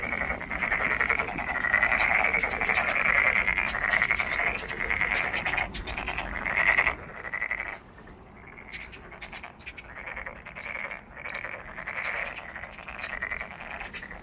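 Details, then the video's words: Frogs at Monet's Pond in Ulsan National Garden, South Korea: a loud, rapid, pulsing chorus of croaks for about seven seconds, then quieter, more broken croaking in separate bursts. "울산 국가정원 모네의 연못 개구리 소리"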